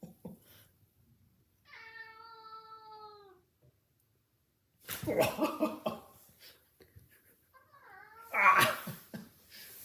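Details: Domestic cat attacking its owner indoors: a drawn-out, steady tonal meow, then bursts of noisy scuffling and rough hissing sounds, and a shorter meow that bends downward near the end, with faint human voices nearby.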